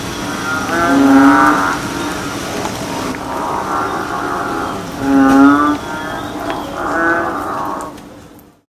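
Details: In a nature reserve, American bullfrogs call in deep, resonant, cow-like drones, one after another.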